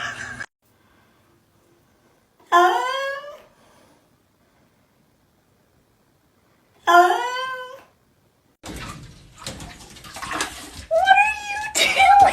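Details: Two short meows from a house cat, each sliding downward in pitch, spaced about four seconds apart in a quiet room. They are followed by rustling, handling noise and squeaky mewing at the end.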